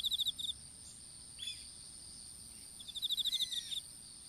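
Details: Insect calls in an outdoor strawberry patch, captured on a dropped smartphone while seedlings went in: a quick high pulsed trill opens, a pause follows, then a longer run of about a dozen rapid chirps over a continuous high drone.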